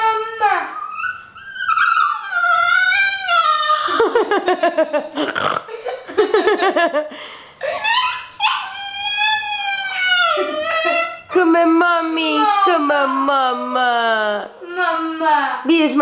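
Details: Pet dogs "talking" in a small room with an almost continuous stream of yodelling, whining howls that rise and fall in pitch. Short choppy bursts break in around the middle, and a long wavering note trails off at the end.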